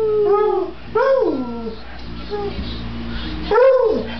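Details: Female Beagle/Bluetick Coonhound mix howling in response to her name: drawn-out, tonal howls with rich overtones, each sliding downward in pitch, two long ones near the start and end, a shorter one in the middle.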